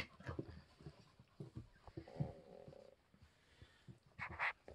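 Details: English Springer Spaniel puppies, three weeks old, indoors: soft snuffling and panting sounds, then a brief high-pitched whine near the end, with light handling noises in a small room.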